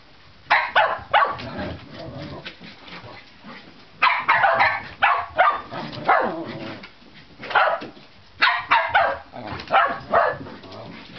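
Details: Shetland Sheepdog Juno barking to provoke housemate Razumu into chasing her in play, indoors; sharp barks come in bursts of two to four, with gaps of about a second between bursts and some scuffling between.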